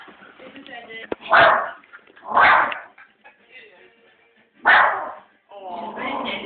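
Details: Family dog barking excitedly at dogs seen on a TV programme: three loud, harsh barks, the first two about a second apart and the third after a longer pause, with Danish television speech running between them.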